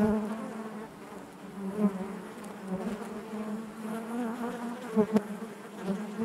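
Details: Inside a honey bee hive, continuous low humming from many bees forms an even layered drone, with a few sharp louder buzzes and faint ticks near the end.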